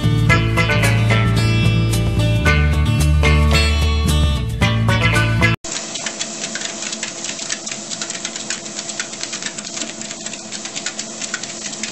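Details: Upbeat instrumental music plays for about five seconds, then cuts abruptly to a steady mechanical rattling and whirring.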